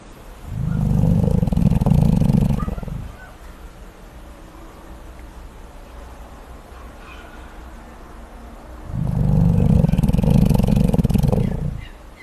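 Deep, rumbling rasps come from a koala snoring, each bout lasting two to three seconds with a rough, pulsing texture. A long quiet gap separates the two bouts, with faint background noise in between.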